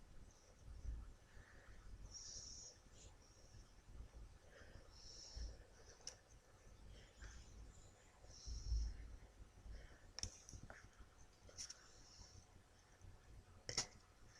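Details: Toby the dog snoring while asleep: soft, low rumbling snores recur every second or two, with a faint airy hiss and a few sharp clicks in the background.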